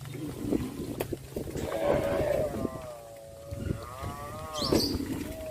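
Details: Cattle walking to green pastures, said to be calling their friends; a long, harmonic, slightly wavering moo rises and holds through the middle, with a shorter second moo after it and scattered knocks and rustling around.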